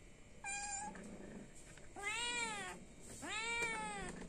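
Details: Hungry domestic cat meowing to ask for food indoors: three drawn-out, harmonic-rich meows, the first short and level, the later two longer with a rising-then-falling arch, separated by brief quiet gaps.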